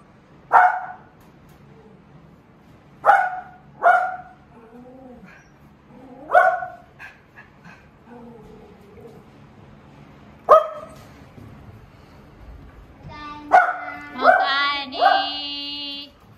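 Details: Golden Retriever at home, overjoyed as the younger son returns from school on the first day of term; a series of short yelping barks every second or two, then a higher whining, harmonic-rich burst near the end.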